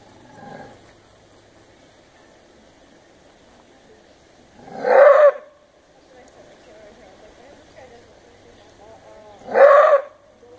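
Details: A maned wolf at Wildlife Safari, Winston, Oregon, bothered by lions staring from the next fence, gives loud, harsh roar-barks, single explosive blasts about five seconds apart.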